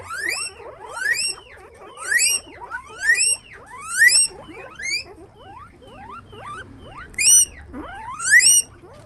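Guinea pig giving loud, shrill squeaks that sweep sharply upward, repeated roughly once a second.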